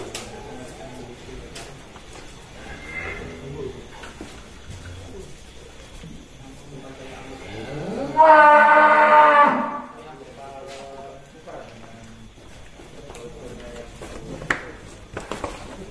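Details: A large bull being led out of its pen on a cattle farm in Indonesia gives a single loud, harmonic moo lasting about a second and a half, amid farm background noise and human speech.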